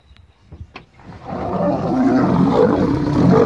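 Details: Male lions fighting: after a second of soft thuds and short grunts, a loud, harsh roaring snarl swells up and holds steady, rough and throaty with a deep growling undertone, until the end.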